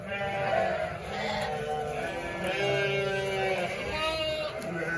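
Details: Sheep flock of 900 ewes and 900 lambs calling together, continuous overlapping bleats of varying pitch, some drawn-out and steady, with a low background murmur.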